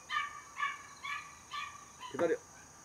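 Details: Home-raised Border Collie puppy, the third of its litter, born 5 July 2024 and 77 days old, gives four high, thin whining yips about half a second apart, ending in a brief harsher, louder burst.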